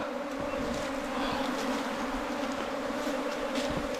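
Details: Honey bees nesting in a bamboo stem 4 metres long make a dense, continuous droning hum, even and unbroken, with a rough, noisy edge.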